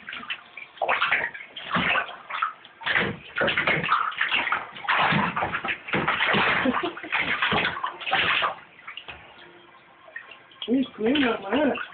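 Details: Bathtub water splashing and sloshing in bursts, with a brief human voice near the end and no audible animal call.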